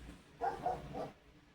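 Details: A male German Shepherd barks in the background, three quick mid-pitched barks, distant and muffled; he can be reactive when he sees animals.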